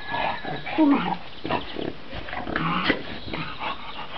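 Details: Shar Pei dog giving short, rough, grunting vocal bursts, low and throaty, with a brief tonal note near the start, over a noisy, muffled background.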